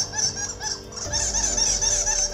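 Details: Playback lure sound of a male bat, used at night to draw bats to a roost hut for guano: shrill, rapid chittering squeaks repeated several times a second over a high buzzing band.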